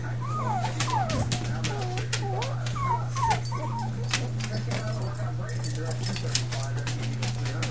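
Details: Soft, wavering puppy whimpers from a litter of five pups, each cry bending up and down in pitch and repeated in quick succession, partly buried under a steady low hum and handling noise.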